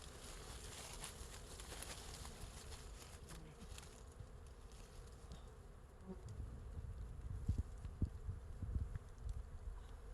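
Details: Honey bees swarming over a wild beehive hung from a forest tree branch; a steady low drone throughout, growing louder and rougher in the second half with bursts of deeper rumble, likely bees passing close.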